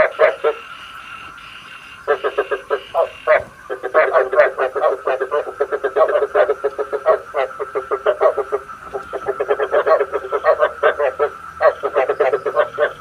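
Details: Lure recording of frogs for night trapping: after a quiet start, a dense chorus of fast rattling croaks runs almost continuously, pulses stacked in quick trains with short pauses, sounding compressed as if from a loudspeaker.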